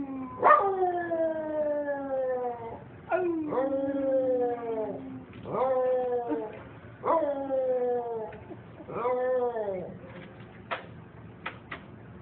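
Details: A dog howling: a series of about five long, mournful howls, each starting high and sliding downward, repeated roughly every two seconds, followed by a few short sharp sounds near the end.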